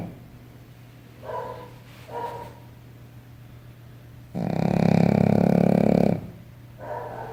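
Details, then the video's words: Sleeping Shih Tzu snoring: soft rasping breaths repeating roughly every second, interrupted by a louder, broad, rough burst lasting nearly two seconds, over a steady low hum. "Cachorro Shih Tzu Roncando!!!"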